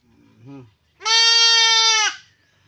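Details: A brief low human voice, then a goat being castrated gives one loud, flat, sustained bleat lasting about a second.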